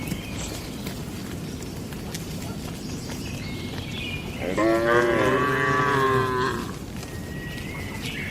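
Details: Cattle in a traditional shed at night: after several seconds of quiet background hiss, a single sustained moo of about two seconds rises in, holds with rich harmonics, and fades.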